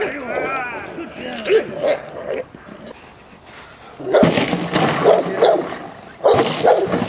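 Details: Protection training of female Presa Canario J7's Kelly, Irema Curto line, at De la Arena, Germany: scattered barks and a vocal shout first, a lull, then two bursts of heavy barking with loud scuffling noise.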